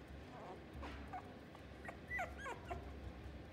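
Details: Toy poodle at a pet shop in Fuji giving faint, short, high whimpers and yips, a few thin rising and falling squeaks clustered near the middle, over a steady low room hum.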